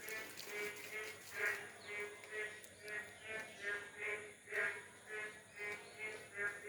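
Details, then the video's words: Many large frogs of various kinds croak in a steady rhythm, each throaty call about twice a second, in the morning just after all-night rain among wet plants; locals believe calling frogs bring more rain. "আর যখন বৃষ্টি হয় না তখন এভাবে ব্যাঙ ডেকে ডেকে বৃষ্টিকে নিয়ে চলে আসে।"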